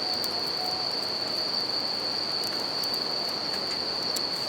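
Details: Bell crickets singing at night beside a campfire and a river in nature: a steady, high ringing tone runs unbroken throughout, over a constant rushing of river water and sharp crackles from the fire.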